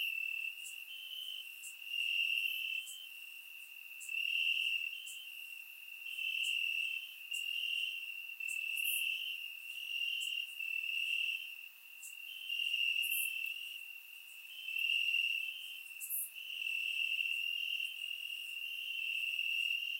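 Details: Warm Bulgarian summer night, crickets chirping in the grass, surround-microphone recording: continuous high shrill trilling that surges in repeated waves of volume, accompanied by scattered sharp upper chirps and ticks, no other animals audible.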